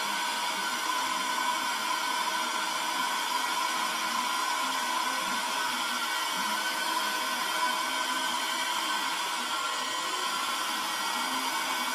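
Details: A constant high whirring hum like a hair dryer runs without pause, with no animal heard.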